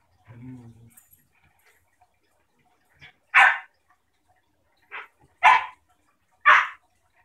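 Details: Play between a new German shepherd puppy and her 6-year-old sister, a basenji pit bull mix: a brief low rumble, then four sharp, loud barks spaced about a second apart over a quiet background.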